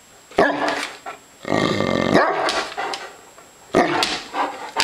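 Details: Hungry dogs give loud barks, then a long rough growling bark with harmonic layers, followed by more sharp barks near the end.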